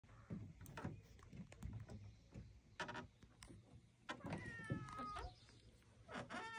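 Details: Willy Winston, a chatty rescue cat visiting the docks, gives two drawn-out, falling harmonic meows near the end, over a busy background of clunks, knocks and low rumbling.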